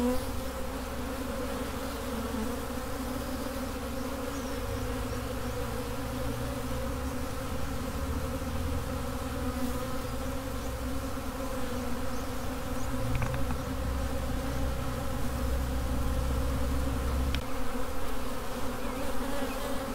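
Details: Swarming honey bees produce a thick, even hum of stacked tones that holds steady throughout, with a low rumble underneath at times.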